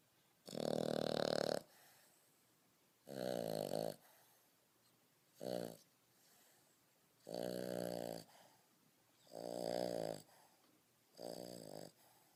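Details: A five-and-a-half-month-old French Bulldog snores heavily, like a grown man. Six rough, vibrating snores repeat about every two seconds, some long and some short, with soft breaths between them and no other sounds.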